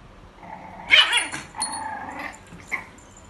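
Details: A white female French Bulldog puppy, 46 days old, gives a short, high-pitched bark followed by softer yips.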